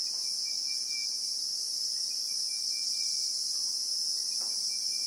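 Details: Christmas beetle (Anoplognathus) in the South African bushveld, recorded in real time: a steady, loud, high-pitched shrill drone fills the whole clip without a break, with a faint thin whistle line coming and going beneath it.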